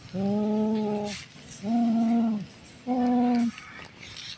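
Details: Orange cat hunting prey, caught on camera: three sustained, flat, low moaning yowls, each about a second long, separated by short pauses, with faint rustling between them.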